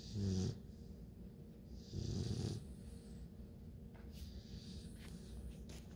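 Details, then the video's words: Sleeping nine-week-old Bluetick Coonhound puppy snoring: two short low rasping snores early on, then soft breathing and faint room noise. "LOUD snoring!! Bluetick Coonhound puppies @ 9 weeks"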